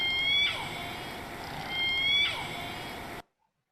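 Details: Southern Resident killer whale, J-pod's S1 call (a family-specific dialect call): two high, rising whistled calls that end in a sudden downward break.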